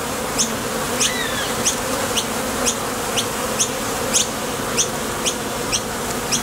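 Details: ['Honey bees at the entrance of a Top Bar Hive, leaving or landing as they fly to and from the field for nectar: a steady, dense buzzing hum, with sharp high chirps about twice a second and a brief gliding whistle.']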